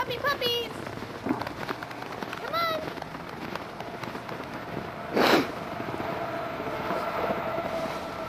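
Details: Rescued litter of Aussie-Cocker mix puppies out in the snow; thin, high whining whimpers with falling tails come at the start and again near the middle, alongside a human voice and a short burst of rough noise.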